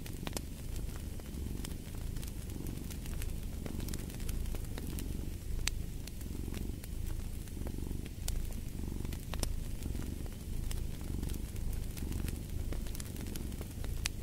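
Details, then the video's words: Domestic cat purring by a fireplace: a steady, low rumbling purr that swells and fades with each breath, roughly once per second, over sharp crackles and pops from the burning fire. "Fall asleep to the Purring of a Cat"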